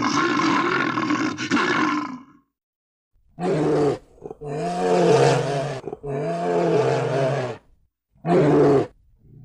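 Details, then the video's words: Bear voice: a long, rough opening roar, then three shorter groaning roars roughly every two seconds. They are deep and throaty with a layered, harmonic tone. "Animal sounds: bear roar, bear voice, bear sounds"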